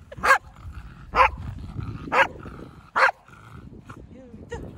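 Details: Playful Pembroke Welsh Corgi barking happily during a mock fight at home in January 2023: four loud, sharp barks about one second apart, then softer yips, with people talking quietly behind.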